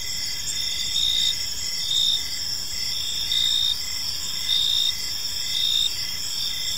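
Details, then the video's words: Several crickets call together in a park at evening, continuous high ringing trills with short louder bursts about once a second and an even lower chirp ticking along beneath. "Cricket Sounds in a Peaceful Park"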